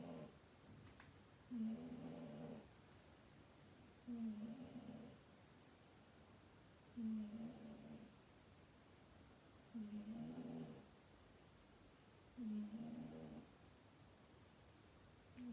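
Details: Domestic cat snoring in its sleep, five low buzzy rasping snores coming steadily about every two and a half to three seconds, with quiet pauses between and no other sounds.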